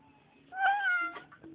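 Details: Domestic cat greeted by its owner indoors: one drawn-out meow lasting about half a second, starting with a brief rise and then slowly falling, clear harmonic tone, quiet room otherwise.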